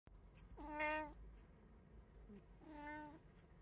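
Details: One of three pet cats at home, filmed on 24 April 2024 (a tabby, an Abyssinian and a short-legged Munchkin), gives two drawn-out tonal meows about two seconds apart, the first louder, in a quiet indoor room.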